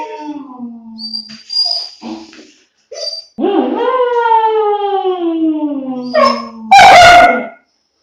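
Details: A 2-month-old long-coat German Shepherd puppy gives thin, wavering howls that slide slowly downward, ending in a sharp yelp.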